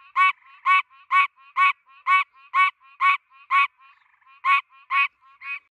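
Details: A Pine Barrens tree frog in the United States, standing still on a tree, gives short, nasal, buzzy, goose-like honks (quonk) about twice a second, with softer, fainter notes between the louder calls.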